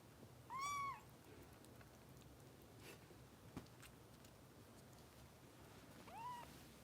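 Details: Bottle-fed foster kitten Harper at a Los Angeles kitten rescue: one clear, high, bowed meow near the start, then near silence with faint clicks, and a second softer meow at the very end.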